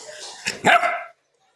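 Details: Female pet Labrador Retriever being coaxed into a bath, giving a single loud harsh bark with a short lead-in huff, then silence.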